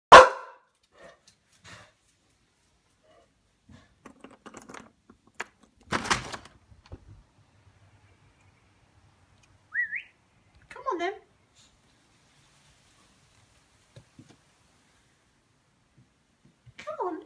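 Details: Pixie, a Boxer dog frightened by a balloon, gives short high wavering whines that rise and fall, with a loud thump at the start and scattered knocks and clatter in between.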